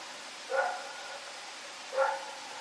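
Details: Two separate barks from Rex, a dog running about at night on October 7, 2018, about one and a half seconds apart, over a hissy background.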